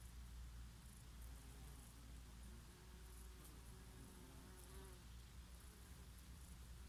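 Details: Summer breeze over flowering oregano with bees at work: a low, shifting buzz that bends up and down as the insects fly close, set against a constant deep wind rumble.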